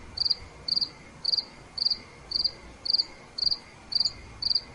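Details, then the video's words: Nighttime cricket chirping: nine evenly spaced, sharp high pulses in under five seconds, each a quick rattled burst, over a soft constant background hiss and a faint lower drone. "Nighttime Cricket Sounds"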